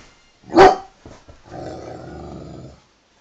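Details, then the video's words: Male Dobermann during play-fighting with a second male: a single loud bark, a couple of soft huffs, then a steady low growl held for over a second. "Dobermann oder Doofer-Mann :) meine beiden Jungs beim Maulrangeln."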